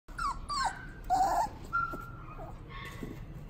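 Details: Italian Greyhound at a pet shop in Kyoto, Japan, giving thin, high, wavering whimpers and whines, about four drawn-out cries in quick succession, with low room hum and shop noise behind.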